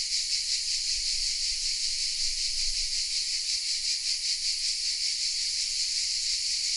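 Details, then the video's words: Many cicadas hidden in oaks at Vézénobres in the south of France sing together, a piercing, steady buzz with quick regular throbs, with a soft low rumble in the background; Sony RX10 M3 recording. "The sounds of CICADAS😊 : Welcome in the south of France"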